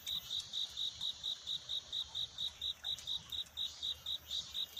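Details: At night, a cricket sings its courtship song while seeking love, at dawn. Clear, piercing chirps pulse evenly about four times a second throughout, over quiet background hiss.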